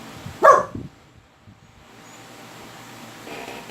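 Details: A dog named Kris barks once at strange noises. The bark is a single loud, abrupt woof, followed by near silence and faint background hiss.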